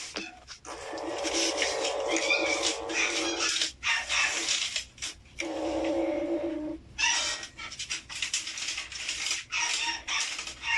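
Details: Angry feral kittens give a sustained low growl with a steady harmonic tone, then long rasping hisses, pausing and resuming in uneven puffs of breathy noise.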